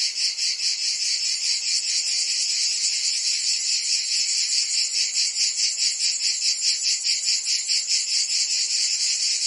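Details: Summer cicada chorus from Provence in France, a loud shimmering high-pitched drone that pulses rhythmically a couple of times each second, unbroken throughout.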